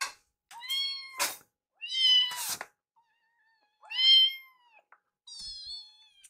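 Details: Rescued foster kittens Yuki and Piyo demanding their meal indoors, calling insistently; four harmonic meows, some bending upward then dropping, spaced roughly one to two seconds apart, mixed with sharp thumps and rustling bursts.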